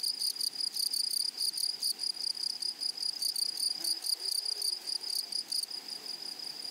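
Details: Grasshoppers singing in a flowery meadow: a high, steady, thin tone pulsing in fast chirps about two or three times a second, joined during the first five seconds by dry, crackling broadband rattles.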